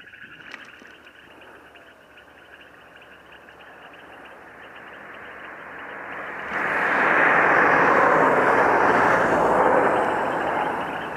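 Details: Frogs croak in a loud chorus at Lake Ypacaraí, a dense, steady rattling drone that swells suddenly halfway through.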